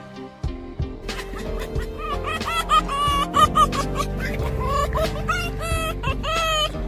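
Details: A fox seeing its owner again gives excited, high cackling cries that rise and fall in quick bursts as it greets them.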